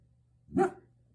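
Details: Female German Shepherd guarding her house against the garbage truck gives one sharp, loud bark over a faint low hum.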